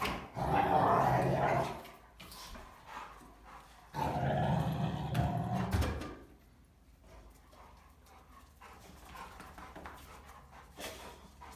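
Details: Three German Rottweilers wrestling and play-fighting, one telling the others off; two loud bursts of deep, rough growling, each about two seconds long, separated by quieter snarls and scuffling, then low grumbles and shuffling sounds.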